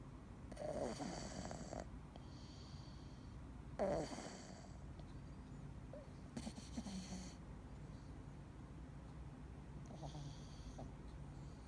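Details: Sleeping male Scottish Fold called Dee snores softly, four breathy rasping bursts spaced roughly three seconds apart, the first two strongest with a brief nasal tone, quiet room hum between breaths.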